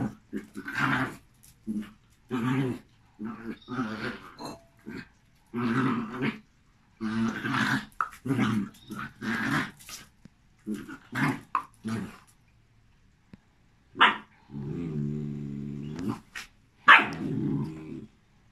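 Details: Two dogs, a Jack Russell and a Malinois, meet indoors. Long run of snarling growls in uneven bursts, then a drawn-out rattling growl and a final sharp yelp-like snap.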